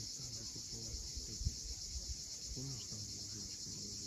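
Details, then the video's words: Crimean cicadas calling at sunset above the sea cliffs of Cape Fiolent: a steady shrill hiss-like buzz held throughout, over low murmuring and a few short lower-pitched sounds from the shore and birds. "Cicadas at sunset."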